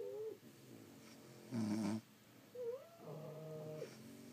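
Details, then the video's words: Sleeping French Bulldogs indoors, several dogs, snoring: a loud rasping snore burst near the middle, then softer whistling, nasal tones rising and holding, in a quiet small room. "Snoring French Bulldogs"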